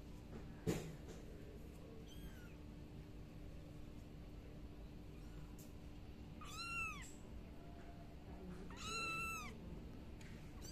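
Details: Kitten crying with a few high, arched meows, spaced several seconds apart, the later ones longer and louder, over a constant background hiss and hum.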